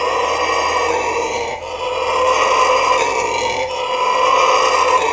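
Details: A red howler monkey at Trinidad and Tobago Zoo gives a deep, rasping, roaring howl that swells and fades in long waves.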